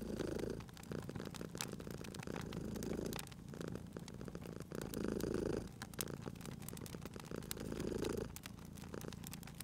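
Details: Sleeping pet cat purring at a fireplace in spring ambience; soft, rumbling purr rises and falls with each breath about every two and a half seconds, accompanied by bright snapping crackles of the fire.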